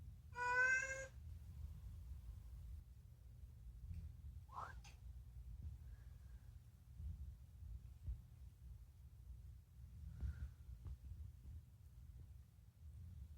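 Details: Unagi, a rescued house cat known for talking, gives one clear, short meow indoors at the start, followed by long quiet stretches with only faint small rustles and clicks; the cat's calls are mostly about food.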